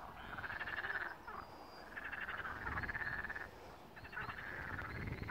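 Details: Frogs singing at the first pond of Malaya Danilovka: a rattling, pulsed chorus of croaks in bursts about a second long, several callers overlapping with brief pauses between bouts.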